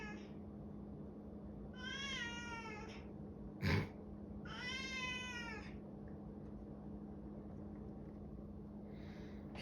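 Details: Male domestic cat meowing indoors because he wants to go out into the garage; two long, falling, plaintive meows about two seconds apart, a sharp knock between them, a faint third call at the end, low hum throughout.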